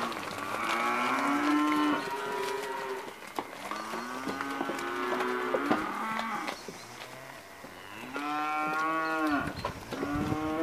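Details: Group of 82 British Blue cross and Limousin cross steers and heifers lowing, several overlapping drawn-out moos with steady harmonic tones, some rising and falling, calls following one another closely.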